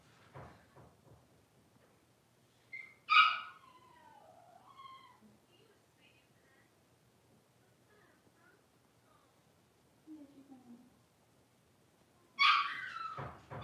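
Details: Litter of five Blenheim Cavalier King Charles Spaniel puppies born on New Year's, in an indoor pen: two loud high squeals several seconds apart, with softer falling whines and small yips between them.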